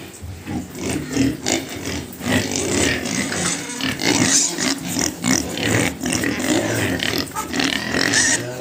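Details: Domestic pigs on a pig farm in India, a steady, busy mix of overlapping low grunts and snuffling with scattered sharper, noisy squeal-like bursts running throughout.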